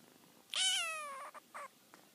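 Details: Young male kitten talking to its mother indoors: one long high squeaky mew that slides slowly downward for about three-quarters of a second, followed by two short softer chirps.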